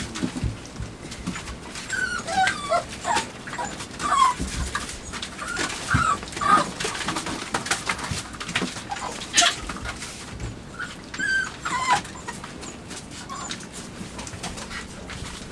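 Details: A litter of five-week-old puppies in a night kennel, investigating and gnawing a box on 23 September 2015, gives scattered thin squeaks and brief whines among steady scrabbling, chewing and bumping noises.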